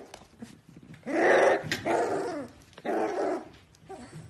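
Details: Pembroke Welsh Corgi puppies producing three rough, throaty bark-growls of about half a second each, slightly bending in pitch, with low room rumble underneath.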